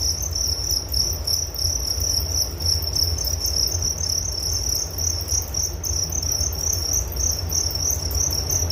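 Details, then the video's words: Unbroken shrill cricket chirping, high pulsed trilling that keeps a constant pitch and level throughout, with a soft low hum underneath. "Relaksasi Suara Jangkrik Penghantar tidur || Nature Sound of Crickets"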